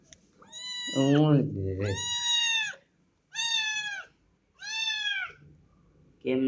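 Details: Little kitten that wandered into a household, meowing in long, drawn-out, even cries about a second each, four in a row with short pauses; a person's low voice overlaps the first meow indoors.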